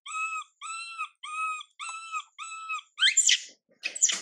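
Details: Young female monkey Mila crying while her mother Milika ignores her: a run of clear, high, slightly arched wails repeated about twice a second, ending in two harsher, noisier squeals.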